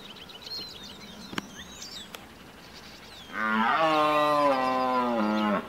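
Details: Deer giving a single long, loud call lasting about two seconds, a nasal, harmonic-rich bleating tone that holds steady then drops at the end; faint birdsong and a couple of sharp clicks precede it.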